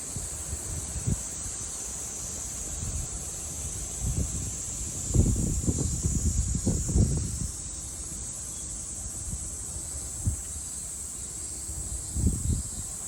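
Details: Japanese summer cicada chorus from 2022, a thin, even, high-pitched whine held constant throughout, overlaid by low rumbling bursts of wind or passing traffic every few seconds.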